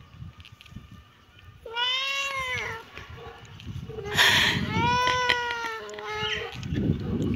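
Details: Kitten meowing: two drawn-out harmonic meows, the first short and slightly falling, the second longer with a wavering middle section, separated by a pause, over faint low background rumble.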